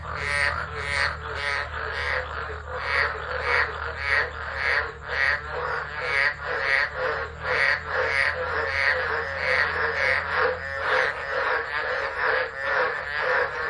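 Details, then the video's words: Tropical frog chorus in a tropical low at Driver, Northern Territory, Australia, 13 December 2013, phone set down and left; quick, rhythmic croaking pulses, nearly two per second, run continuously above a faint low droning hum. "Tropical Storm Frogs Singing"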